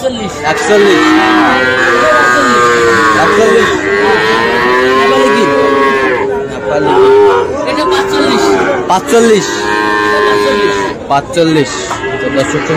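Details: Sahiwal bull calves at Ambari cattle market in Tangail, Bangladesh, on Friday 25 August, mooing over one another almost continuously, with long drawn, wavering lows rising and falling amid steady market din.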